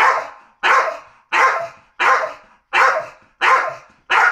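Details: Male Staffordshire Bull Terrier barking in reaction to something it dislikes: seven loud, even barks, about one every 0.7 seconds, each a short burst that fades quickly, with no other sounds between them.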